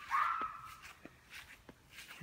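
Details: Red fox in northern Michigan, screaming while hunting to scare prey into running: one short, harsh, rasping scream at the start, then quiet footsteps and rustling.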